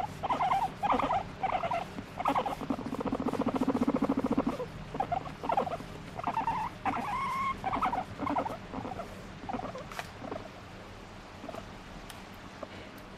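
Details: Squeaking pet guinea pig begging to be stroked, giving rapid clustered squeals with a sustained buzzing purr in the middle and upward-sliding whistly notes, fading to quiet room noise after ten seconds.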